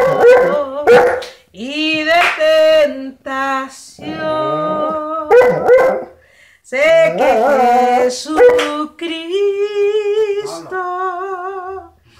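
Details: Saint Bernard dog 'singing' indoors: a run of loud, wavering, tuneful howls with vibrato, rising and falling in pitch, broken by short gasping yelps and brief pauses.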